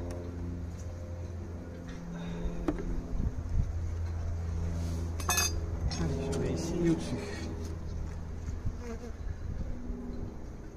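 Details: Honey bees during a hive inspection at the Santeny apiary, a few flying at the beekeeper while others climb up and down; a steady low droning hum throughout, a brief clatter near three seconds, faint French speech.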